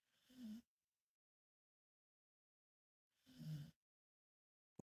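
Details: Mama dog asleep on her back snores twice, about three seconds apart; each breath is a short, throaty, rattling rumble with a hissy edge, with silence between and a sharp click at the end.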